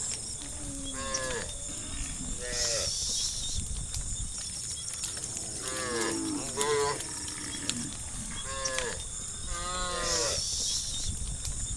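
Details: Tame cows heading to the livestock farm pen in the evening, several short overlapping moos with bright harmonic stacks, some rising and falling, repeated through the clip over a steady high insect-like hiss.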